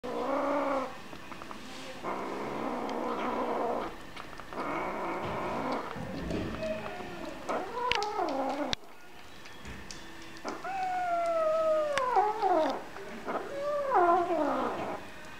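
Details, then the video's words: Hungry kittens crying for food: a stream of overlapping, strained meows, at first rough and steady, then several clear, drawn-out cries that slide downward in pitch, with short breaks between them. "Hungry Kittens"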